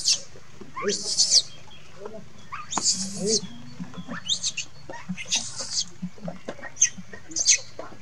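A young monkey screams in shrill, high bursts, crying out for its mother.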